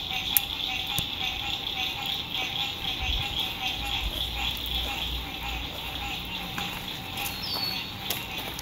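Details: Frogs singing at sunset beside a lake at an RV campsite in spring 2021, in fine weather: a dense, steady high trilling chorus that never pauses. A lower continuous hum, faint road rumble and brief knocks sit beneath it.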